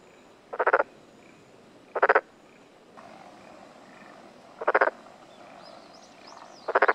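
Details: Black-spotted pond frog croaking on a June 2021 morning in the mountains of Tokuji, Yamaguchi, Japan: four short pulsed rattles at irregular intervals, faint high bird chirps near the end.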